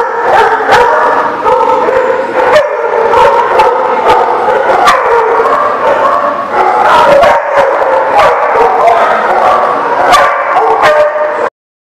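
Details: Dog holding a steady, gently wavering howl for about a second, then dipping into a lower falling moan and stopping, with a person's "mam" prompts nearby.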